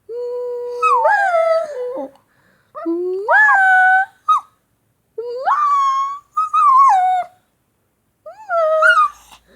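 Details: Male Shih Tzu pup answering kisses and someone calling him "baby" indoors. It gives five long, tuneful whining howls that slide up and then sag down. Each lasts one to two seconds, with brief pauses between them.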